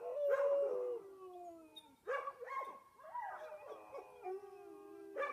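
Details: A reservation dog howls at sunrise in the early morning on May 6, giving long, wavering tones that slide up and down in pitch.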